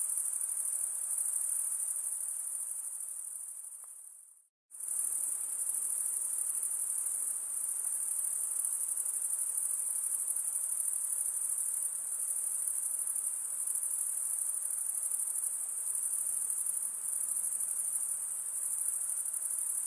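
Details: Insects calling at night in a continuous high, shrill trill. Just before the fifth second the sound fades and drops briefly to silence, then the steady ringing chorus resumes and carries on unchanged to the end.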